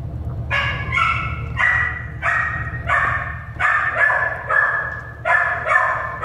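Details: American Staffordshire Terrier puppies born at an animal shelter, yapping in a run of short high-pitched barks and yips, roughly two per second, over a steady low hum.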